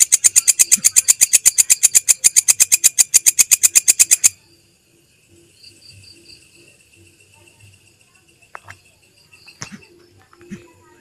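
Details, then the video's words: Belalang kecek grasshopper, used as masteran for songbirds, gives a four-second run of fast, sharp ticking pulses that stops abruptly, followed by quiet with faint distant chirps and small knocks. "MASTERAN SUARA BELALANG KECEK, Jernih Panjang"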